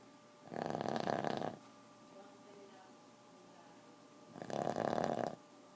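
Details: Two drawn-out, raspy snores from a Boston terrier, each about one second, about three and a half seconds apart, with faint low background hum in between.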